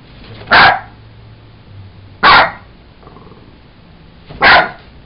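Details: Jack Russell Terrier named Sugar playing with a toy monkey, giving three short, sharp barks spaced about two seconds apart, with quiet low background hum in between.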